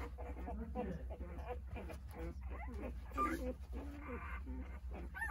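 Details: Newborn Jindo pups, eight days old and nine in the litter, calling for their absent mother; softer short whines and squeaks over a strong low hum, with faint human voices.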